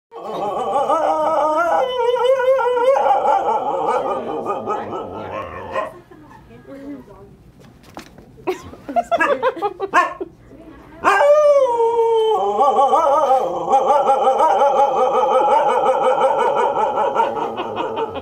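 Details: A female Siberian Husky waiting for an eye exam howls in long, wavering, mid-pitched tones that rise and fall between short breaks, doing so for about 20 minutes.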